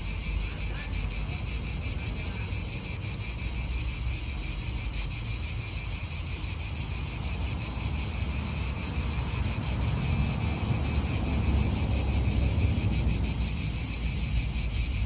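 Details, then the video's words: Continuous cicada chorus in an Italian park: a dense, high, pulsing buzz holding steady throughout, with wind and a low background rumble beneath it. "italian park ASMR Cicadas wind real atmosphere in an Italian park birds"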